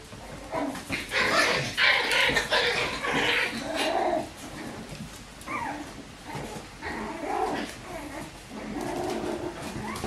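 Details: Several Bichon Frisé puppies, litters O and P, kept at a kennel: rapid whimpers and squeaky yelps, some rising whines, overlapping in quick irregular bursts, with indoor clatter behind.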